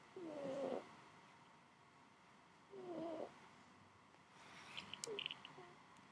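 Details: Domestic cat asleep on fresh laundry, snoring softly indoors: breathy, slightly tonal snores come about every two and a half seconds, three in all, with faint high clicks near the end.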